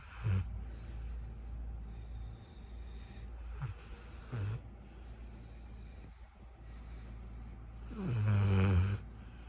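A Golden Retriever puppy snoring in low, rumbling bursts, with a longer, louder snore near the end.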